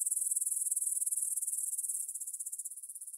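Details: Meadow grasshoppers near the Svensky monastery, Bryansk, Russia, at 9pm on 6 September 2020, Tascam DR-44WL stereo: rapid high pulses ring clearly at first, then soften and fade after about two seconds.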